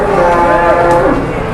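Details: Cattle newly arrived at a livestock trading place in Indonesia: one long, steady, low moo with a slight wavering pitch, rising near the end, heard over a busy crowded background.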